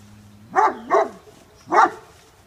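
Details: A Great Pyrenees at home in early morning daylight barks after spotting a very large raccoon scaling a six-foot wooden fence: a low whine, then three deep loud barks, two close together and one after a pause.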